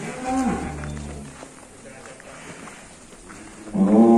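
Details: Full-blood Black Angus bull, estimated at about 1.1 tonnes, being handled on a long rope outside its pen. A brief low moo opens the recording, and a louder rising bellow starts near the end, with handlers talking.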